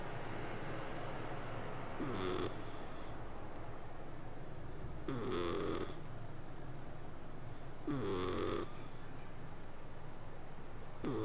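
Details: A cat purring as it sleeps, with raspy, hissing snore breaths about every three seconds, each carrying a short whistly nasal tone, over a continuous low rumble.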